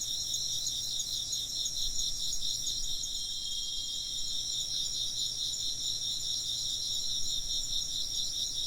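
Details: A steady chorus of insect song: high, rapidly pulsing trills layered at several pitches, unbroken throughout, with a thin ringing tone briefly sounding midway and a quiet low hum beneath.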